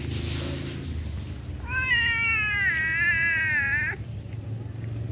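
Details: Cat producing one long, clear meow of about two seconds, holding a level tone before dipping and cutting off, with a constant low background rumble before and after.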